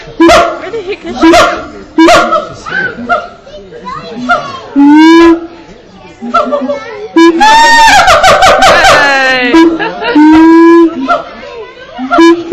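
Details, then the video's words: On 7 July 2013, a zoo-kept male siamang hoots at Auckland Zoo in New Zealand. Its loud tonal barks come in bursts, with upswept and wavering calls and a dense rapid sequence near the middle. People chatter nearby. "Siamang hooting"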